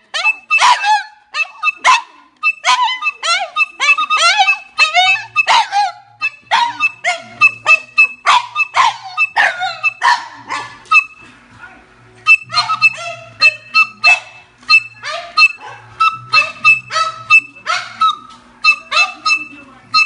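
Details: French bulldog singing: a rapid run of short, wavering yelping howls that slide down in pitch, two or three per second, with a brief lull near the middle and a faint steady tone held underneath.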